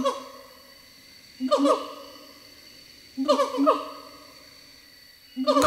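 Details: Gibbons singing in forest on Sumatra, Indonesia: loud, harmonic hooting phrases, each a burst of quick rising and falling notes, returning roughly every two seconds with quieter gaps between.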